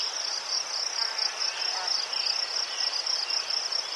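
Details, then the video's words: Ukrainian crickets give a continuous shrill high trill with a rapid pulsing texture, carried on without pause. "Заспокійливий звук цвіркунів//The soothing sound of crickets"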